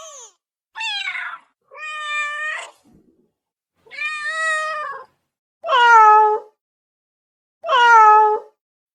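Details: A cat wanting immediate attention gives six loud, harmonic meows at irregular intervals of about one to two seconds, some steady and others bending downward at the end, in a quiet setting.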